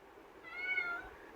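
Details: Pet kitten Pavi kutty in a cage, wanting out, lets out one short harmonic meow, slightly arched, in a small room.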